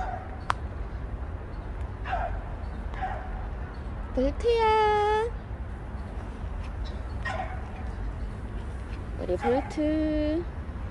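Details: Bolt, a stray cat who stayed near a family for a year and five months, in its last recording: two drawn-out, tonal meows, the first steady and the second lower and falling, over a constant low rumble with faint clicks and voices.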